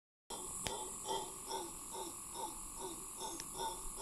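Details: Howler monkey in Cahuita Park, Costa Rica, giving a long howl: rough, throaty grunting pulses repeated about twice a second, fairly distant, over steady high-pitched insect-like buzzing and a couple of sharp clicks.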